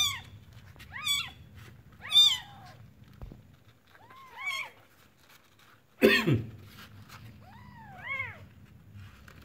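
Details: Just-born kitten from a village giving several thin, wavering mews that climb and sag, spaced unevenly, with a sharp bump or rustle midway and a quieter drawn-out cry near the end.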